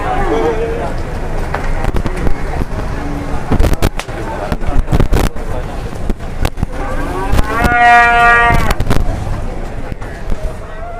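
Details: An angry, aggressive cow lets out a brief, rich moo about two-thirds of the way through, surrounded by repeated loud bangs and thumps, a short low grunt earlier, and steady outdoor rumble.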